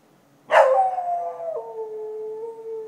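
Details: Nighttime dog in Chiayi county, Taiwan, recorded in 2014: a sudden loud onset sliding down into a sustained howl that steps lower midway and holds steady to the end, with little background sound.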